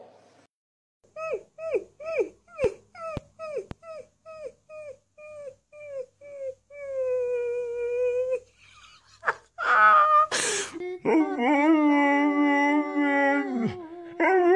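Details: Siberian Husky dogs giving a rapid run of short, falling yips that merge into a steady drawn-out howl, then louder overlapping cries, with some noise and people's voices.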